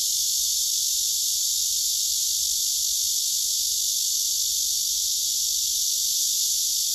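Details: Male cicada singing on a tree trunk, filmed up close by phone beside another male that listens: a steady, unbroken high-pitched hiss-like buzz that holds at even loudness throughout, with no other clear sounds.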